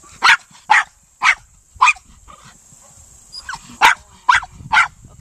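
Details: During a Senior Earthdog test a male Miniature Pinscher works the quarry, giving a steady series of eight loud, sharp barks spaced about half a second apart, with a couple of softer yips in between.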